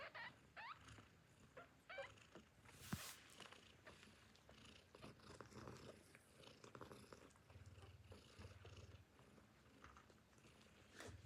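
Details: Tiny newborn kittens, hungry, then drinking milk from their mother; a couple of high thin rising meows early, followed by soft low purring rumbles and suckling clicks.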